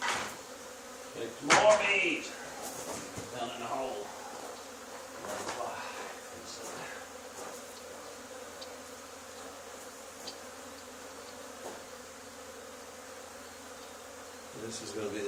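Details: Swarm of honey bees clustered on an old barn wall, two days after a nearby hive cutout, being removed; continuous humming drone throughout, with a burst of handling noise and a faint voice near the start, then a knock at the end.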